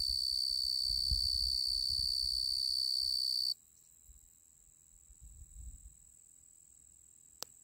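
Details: A male tree cricket (genus Oecanthus) sings a steady, high, ringing trill that stops abruptly partway through.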